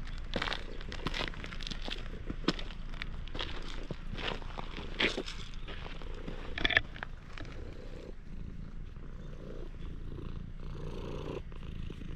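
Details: Stray cat, met by chance in a parking lot, opening up to a person; a steady low purr runs throughout, broken by rustling, scraping clicks and handling noise close to the animal.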